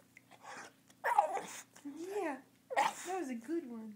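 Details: Oscar the bulldog, which also does karate tricks, talks on cue when urged to say I love you. A drawn-out moaning voice bends up and down in two separate phrases, mixed with a person's encouraging speech indoors.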